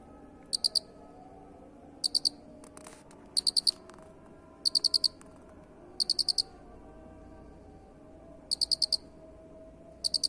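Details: Master song of a cricket for bird training: short bursts of three to five rapid, shrill high-pitched pulses repeated roughly every one to two seconds, with a brief faint click between bursts and low background hum.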